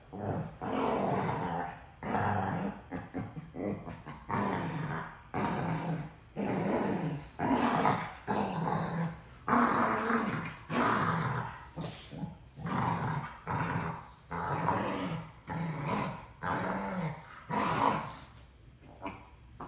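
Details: Two dogs squabble over a toy with almost nonstop rhythmic growling, rough rumbling pulses roughly every second, loud and close, rising and falling in intensity throughout.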